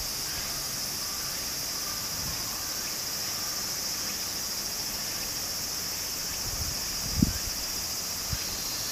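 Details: Summer cicada chorus by a small stream in Japan, a steady high hiss-like drone holding without a break, with running water beneath and a couple of soft low knocks near the end.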